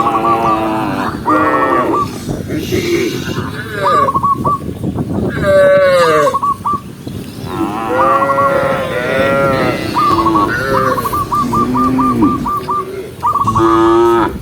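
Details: A huge herd of tame cows, tens of thousands strong, walking by day across open countryside; many deep, drawn-out moos overlap and rise and fall, with short rapid chirping notes repeating in bursts between them.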